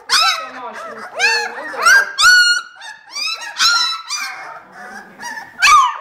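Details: A kennel litter of 18-day-old vizsla puppies squealing in repeated loud, harmonic, bent cries, some rising then dipping, with quieter whimpers filling the gaps between bursts.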